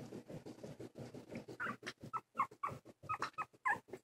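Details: Silky terrier puppies Winnie and Chunk, 19 days old with newly opened eyes, taking wobbly first steps indoors: soft padding and shuffling, then short high squeaky whimpers in quick bursts, with a woman's voice nearby.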